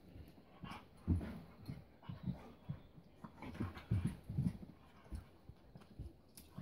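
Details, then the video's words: Playful low growls, whimpers and panting from a 4-year-old Husky, Keiko, and Lucy, a 3-month-old Welsh Springer Spaniel pup, meeting for their first play date; dense rough bursts through the middle, softer toward the end. "Puppy Play Time"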